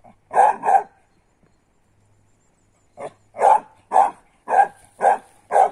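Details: Ten-month-old female griffon pup trained on roe deer and wild boar blood trails, barking while retrieving a wild boar sow after tracking a blood trail; two quick barks, a pause, then a run of five loud barks at a steady pace.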